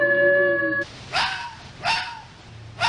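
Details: A gray wolf, presented as a European animal, ends a steady, tonal howl, then gives three short, sharp yelps about a second apart. A spoken word is heard nearby.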